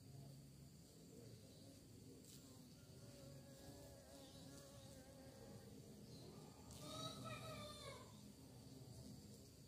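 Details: Bees said to be searching for prey: a steady low droning hum of many insects throughout, with one louder buzzing insect sweeping close past near the end, its whine rising then falling.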